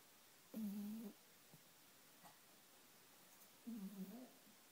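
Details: Pomeranian named Pitch snoring while deeply asleep in its favourite bed. Two buzzy, humming snores, each about half a second long and roughly three seconds apart, in an otherwise quiet room.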